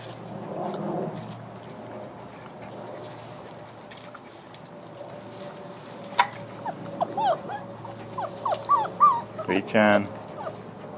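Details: Crossbred Frenchie and wolf pups, six weeks old: a low murmuring stretch with a person's voice early, followed by a quick sequence of thin, rising and falling whimpers, plus a short rattling noise near the end.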